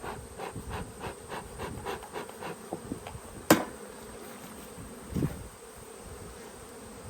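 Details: Honey bees in a yellow hive during a hive inspection on 19/3/22, after smoke at the entrance, lid being prised open: steady low humming buzz of the colony with clicks and knocks of handling and a sharp clatter midway.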